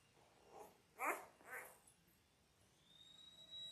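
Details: Ten-day-old Labrador Retriever puppies from a litter of six born January 18, 2022, watched on a live puppy cam: three short, soft whimpers close together, the middle one loudest, then quiet with a faint steady high tone.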